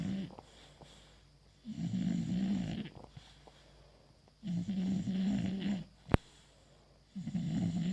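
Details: English Bulldog named Bogui asleep with a ball as a pacifier, giving deep, rumbling snores in regular bursts roughly every two and a half seconds, with quiet gaps and one sharp click.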